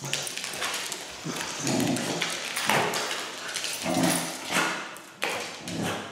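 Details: Pembroke Welsh Corgi named Noah barking indoors on first meeting a Sphero BB-8 toy robot; several loud, broad barks spaced about a second apart, with taps and thumps from the robot.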